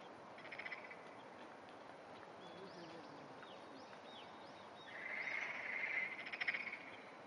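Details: Black-spotted pond frogs, a pair in amplexus with the smaller male clasping, recorded early morning on 14 June 2009; two bursts of rapid, pulsed rasping croaks, one brief near the start and a longer one later, with chirping birds behind.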